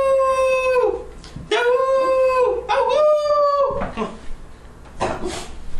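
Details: Dog howling indoors in a run of long, steady, mournful notes, one after another, the third holding slightly higher before dropping off, followed by softer breathy yelps.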